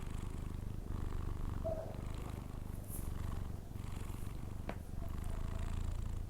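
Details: Snoring from a sleeping Persian cat: a low, even drone with gentle breath noise and a single soft click midway.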